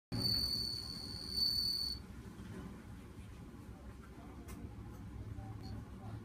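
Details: A bell cricket in autumn in Date, Hokkaido, sings a clear, high, ringing trill for about two seconds, then falls silent; it has just begun singing for the season.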